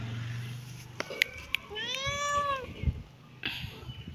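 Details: A kitten gives one drawn-out arched meow, rising then gently falling, against a quiet background with a few faint clicks and taps.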